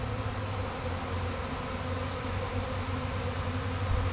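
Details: Honey bee swarm from a kept hive, recorded May 13, 2012, while the beekeeper recaptured it: a dense, continuous low droning hum with steady layered overtones, unbroken and even in loudness throughout.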